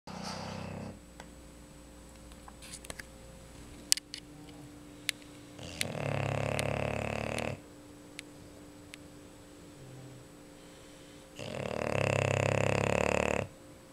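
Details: A female English Bulldog, asleep, snores in loud, rasping bursts, each breath a rough rumbling roar like a chainsaw, separated by quiet pauses.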